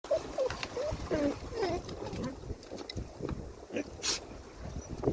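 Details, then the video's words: Pet dog whining at the beach, with high, wavering tonal whines in short bursts over steady surf and wind noise, a sharp broadband burst near the end. "My dog whines and sneezes at the beach"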